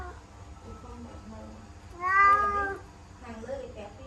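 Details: Kitten at home stuck inside a laundry basket gives one loud, drawn-out meow that rises and then falls. It comes after quiet indoor murmuring, with a fainter sound following.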